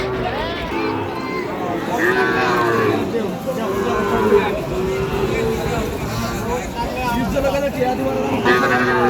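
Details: Sahiwal calves at a livestock market give drawn-out, low, harmonic moos while men haggle loudly over prices nearby, with steady crowd chatter throughout.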